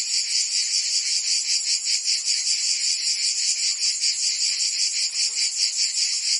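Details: Cicadas singing in summer in Provence, France: a dense, continuous buzzing chorus, high and shrill, pulsing in steady rapid throbs with no pauses and no other sounds.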